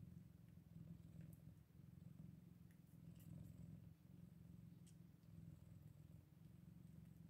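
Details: Purring from Scottish Fold kittens at eight days old, a soft, low rumble rising and falling with breathing, with occasional light clicks and rustles above it.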